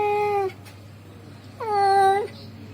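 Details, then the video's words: Calling to a female, a male cat gives two drawn-out meows, the second rising at the start then holding steady, separated by about a second of quiet with a low hum. "the sound of a male cat calling a female cat"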